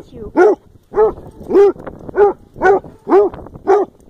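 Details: Happy, excited basset hound greeting its owner, giving a rapid series of seven loud, mellow, yodelling bays about two per second, each rising then falling in pitch, while a person talks playfully.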